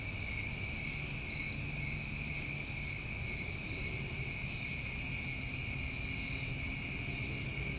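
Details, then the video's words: Crickets of a New England summer keep up an unbroken high-pitched drone, while brief sharper trills pulse in at irregular intervals of one to two seconds. "Over 1 Hour Of Tinnitus Masking With Crickets"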